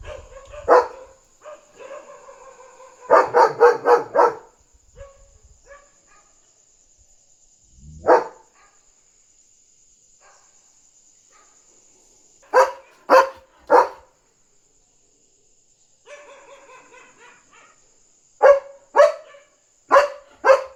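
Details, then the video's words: German Shepherd barking at night to alert its household that a dog is outside, guarding territory. Whining yelps, a fast burst of clustered barks, a lone bark, then bark pairs and triplets. A thin steady electronic tone sits underneath. "Barking German Shepherd on Alert!"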